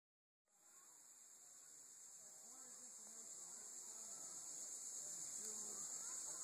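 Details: Linne's cicada (Tibicen linnei) calling on September 1, 2012: a loud, continuous high-pitched buzzing drone that swells steadily louder, with people talking quietly underneath.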